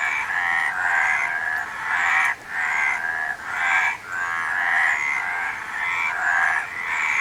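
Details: A chorus of frogs giving long, grating, buzzy croaks that run into one another. Brief pauses break the stream every second or two, and nothing else is clearly audible.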